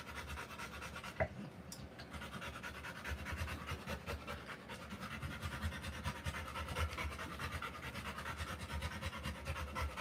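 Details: Rottweiler in labour, giving birth to puppies: fast, breathy panting runs steadily through the whole stretch, with one sharp click early on over a low background rumble.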